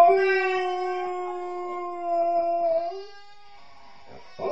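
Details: A female Alaskan Malamute howls, apparently missing her mother: one long, steady, level tonal note with stacked harmonics, held about three seconds before sliding up and fading, then a brief noisy sound at the end.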